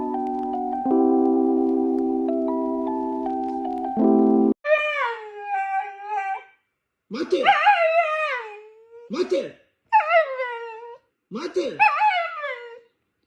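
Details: Steady electronic music tones open, then a husky breaks in with a run of short, wavering howls and yodelling whines, each bending up and down in pitch with brief pauses between.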